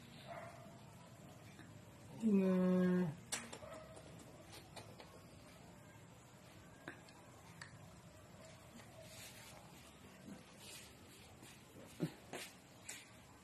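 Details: Dachshund giving a single rising, tonal whine with stacked harmonics lasting under a second, followed by faint scattered clicks and thumps in a quiet room.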